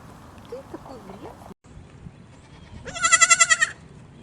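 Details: Kid goat on a mountain farm giving one loud, quavering bleat that lasts under a second, with a rapid pulsing tremble, after a stretch of faint, wavering, voice-like sounds over low background rumble.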